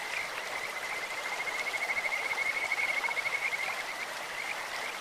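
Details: In a clear stream a Kajika frog gives a long, bright trill of quick even pulses that swells and then fades over about two seconds, set against steady stream noise.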